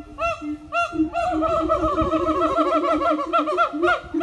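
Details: Siamang family singing together in the morning at an eco-tourism farm: a fast run of arched, rising-and-falling hooting notes, several voices overlapping and building into a dense, ringing chorus.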